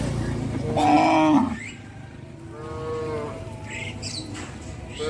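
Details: Cattle from a traditional breeding herd walking towards a field; a loud, harmonic, drawn-out moo near the start, then a softer, higher, slightly rising moo, with faint rustling and brief higher noises behind.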